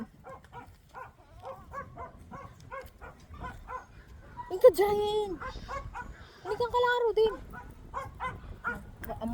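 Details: Pet goats kept at home: two drawn-out, wavering, nasal bleats with rich overtones stand out after a run of rapid, short, evenly pitched voiced syllables repeated several times a second. Light background rustle throughout.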